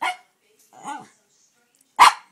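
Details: A two-year-old Norfolk Terrier indoors, intrigued by the ornaments on a Christmas tree; one short sharp bark at the start and a louder abrupt bark near the end, with a brief voiced sound between and a person speaking nearby.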